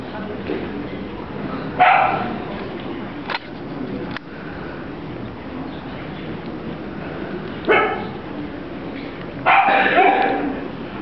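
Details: Dachshund puppy giving three sharp, bright barks spaced several seconds apart, the last a quick double, over a steady low room hum with faint background noise.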